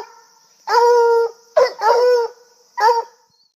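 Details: Coonhound baying after spotting a squirrel: a sustained half-second howl, then a quick yelp, a wavering drawn-out howl and a final short bay, with a faint steady high hiss.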